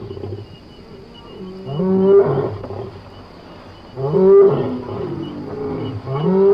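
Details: Lion from Somali wildlife: two or three drawn-out, moaning roars that swell to full loudness and fade, separated by brief low lulls.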